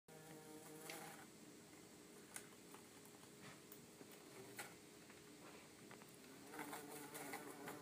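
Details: Two bumblebees, an orange-belted and a yellow-faced, kept in an insect tank: a low, steady droning buzz with layered humming overtones, broken by faint tapping and clicking, possibly from movement against the tank.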